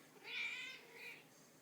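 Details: Pet domestic cat named Checkers, a female, meowing indoors to ask for food after running out; one drawn-out harmonic meow rising then falling, followed by a softer second meow.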